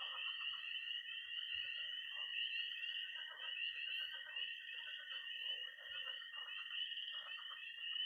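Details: Peeping tree frogs, high trilling toads and croaking pond frogs fill a Missouri night in early spring, the shrill peeps and constant trill dominant over scattered mid-pitched croaks and occasional faint low knocks.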